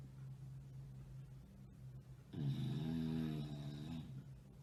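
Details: Tired bulldog asleep, snoring: after quiet low hum, a sudden rough, buzzing snore lasting nearly two seconds, deep and vibrating, then easing off.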